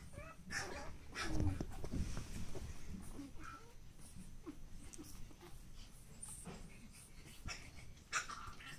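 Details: Pug puppy brothers born 10 August 2015 give soft snuffling wheezes and small whimpers, with low breathy snorts throughout.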